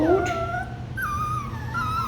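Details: Labradoodle puppies called Kiwi puppies, waiting to be fed: a high whining whimper that slides down, breaks, then rises again in drawn-out tonal wails over about two seconds, with a low hum beneath.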